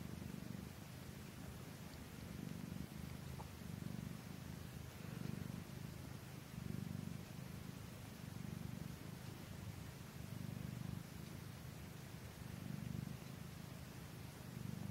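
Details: Norwegian Forest Cat purring while feeding, a steady low rumbling purr pulsing in soft waves roughly every second, quiet and continuous with faint background hiss.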